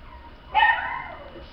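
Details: Toy Poodle letting out a single sudden high yelp that trails off into a fading whine over about a second, with quiet background before it.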